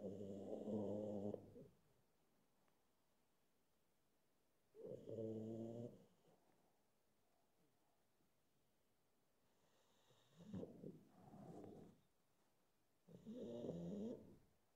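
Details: A pug deciding whether to go to sleep snores and snorts in low, rasping bursts, each lasting about a second, with quiet pauses between.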